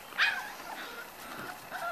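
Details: Corgi puppies five weeks old give one bright high yip, then soft, wavering whines fade in and out against a low background hiss.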